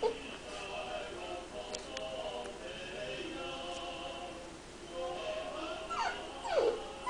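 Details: Confused Shar-Pei puppy crying, with a faint whine at the start and a sharp falling whimper near the end, while sustained tonal music plays throughout.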